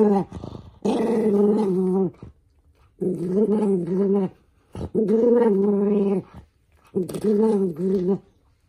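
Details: {'caption': 'Indoors, a toy poodle called Minato snarls in irritation as socks are fitted onto its paws, giving four wavering growls of about a second each separated by short pauses, with some handling noise.'}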